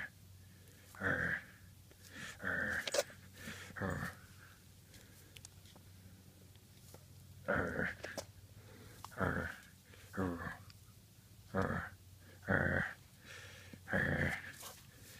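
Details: Badger, a 9-week-old Great Pyrenees puppy, plays with a toy dog indoors, giving short rough growls in bursts roughly every one to two seconds, with quiet pauses between and a small room's hush behind.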